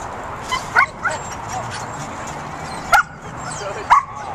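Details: Pit bull puppy herding sheep, giving short high-pitched yipping barks: a pair close together near the start, then two more single yips spaced about a second apart, over a steady hiss of background noise.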